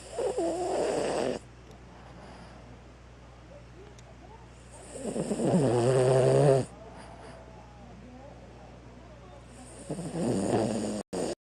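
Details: Five-year-old male pet sound asleep, pink paws and nose tip showing drowsiness, snoring in three long, rough, breathy rasps about every four to five seconds, the middle one carrying a faint whistling tone, over quiet indoor hum.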